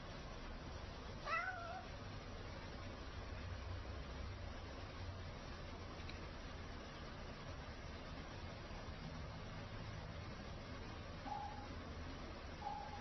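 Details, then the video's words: Cats begging for food; one clear wavering meow near the start, then faint meows later, over a steady low hum and background noise. "Коты умоляют дать поесть"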